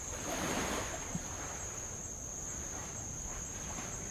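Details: On a rowing trip around Avalau, Tonga, insects give a sustained high-pitched whine without pause, while a light wave surges over old lava early on, followed by a brief knock and calmer lapping water.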